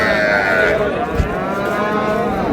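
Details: Cattle at Ambari market, Dinajpur, Bangladesh, where cows are sold with calves; a drawn-out, higher, strained bawl runs through the recording, with bargaining voices and crowd noise behind it.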